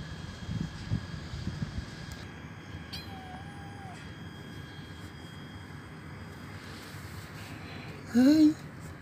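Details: Old, hungry feral stray cat at a doorstep begging for food: a single short, loud rising meow near the end after a long stretch of quiet background hum, with a faint thin tone earlier.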